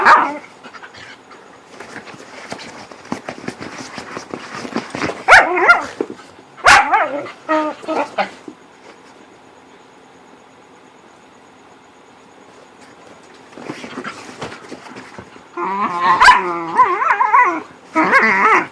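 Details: Whippets at play in the dark: bursts of wavering growls and whines separated by quieter stretches, with a few sharp yelps and rapid scuffling sounds.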